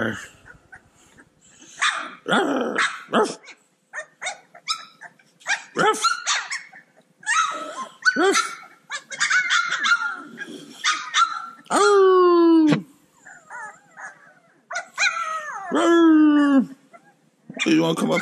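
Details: Cane Corso puppies playing: scattered sharp yaps and clicks, then two long, loud whining yelps that slide steadily downward, each about a second, among further squeaky yips.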